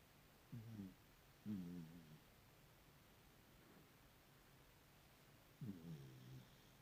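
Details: Sleeping puppy snoring: three short, low, throaty harmonic snores with a slight whine, the first two a second apart, then a four-second pause before the third, in a quiet room.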